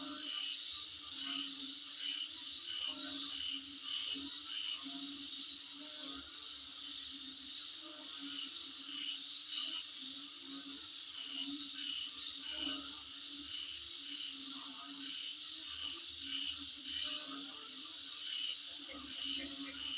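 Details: A dense, high insect chorus heard outside a home, with shrill repeated chirps pulsing over a steady buzzing drone.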